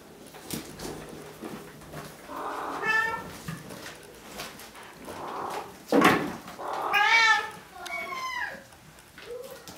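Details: Bengal kittens from three litters at Wildrose Bengals, two almost 8 weeks old and eleven 5 weeks old, indoors; several high, harmonic meows rise and fall, overlapping one another, with faint human speech and rustling between them.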